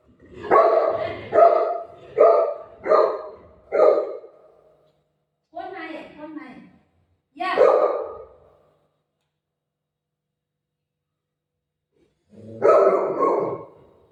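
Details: A playful Golden Retriever eager for dosa barks in a quick run of five woofs, then after a pause gives a few more single barks, while its owner talks in Marathi.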